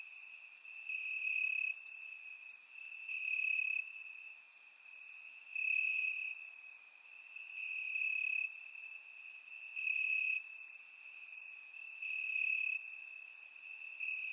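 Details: Crickets chirping in the grass on a warm Bulgarian summer night: shrill ringing pulses repeating in regular waves every one to two seconds, a background of faint high insect calls, recorded in surround sound.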